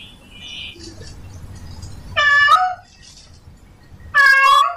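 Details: Male domestic cat in heat calling for a female: two loud, drawn-out wavering meows about two seconds apart, each rising then falling, over a quiet low background hum.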